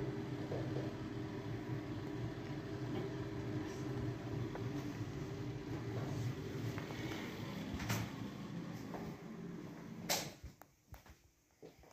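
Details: Steady low rumbling room noise with a few clicks and a clatter near the end, and no animal sounds.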